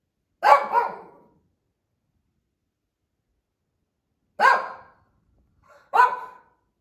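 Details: Indoor female Shih Tzu wandering a family room, barking perhaps from boredom or at something outside; a sharp double bark, long silence, then two more single yappy barks close together.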